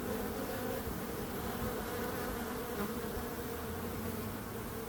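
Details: Bees buzzing in a steady, continuous drone with a low hum and a brighter band just above it, unbroken and even in loudness throughout, with no other sounds.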